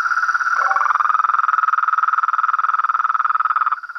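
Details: Frog and toad chorus with a steady, rapidly pulsed trill, a brief lower note near half a second, and loud rhythmic beating that eases off toward the end, a thin high tone lying underneath.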